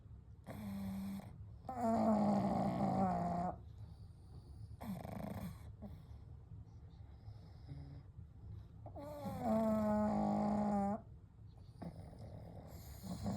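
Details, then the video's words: Snoring from three pugs, Kou, Gen and Shun, asleep together: loud rattling inhalations about one to two seconds long, some carrying a whistled, wavering tone, alternating with soft, quiet breaths. "A Night with Sleeping Pugs - Gentle Snoring & Breathing"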